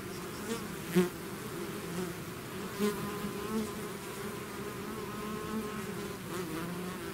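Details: Buzzing of a bee swarm leaving its hive: a steady layered drone with individual bees passing close, giving louder swells around the first and third seconds.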